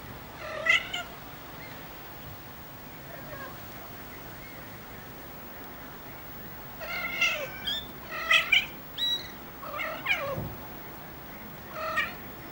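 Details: Three-week-old Ocicat kittens mewing in a series of short, high, harmonic-rich meows, some rising then falling, coming in clusters around seven to ten seconds with quieter gaps and a faint steady background hiss.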